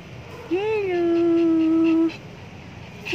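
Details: Maltese dog giving one long whine of about one and a half seconds, rising briefly at the start and then holding level and tonal, over a low background hum.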